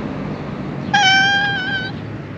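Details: Black female cat with a tiny tail in Japan meowing for affection: one clear, drawn-out meow lasting about a second, steady then slightly falling at the end, over a low background hiss.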